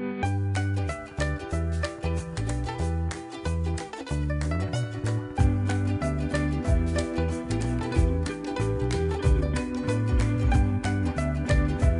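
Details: Lively plucked-string music, guitar-like and rhythmic, fills the recording with no animal sounds.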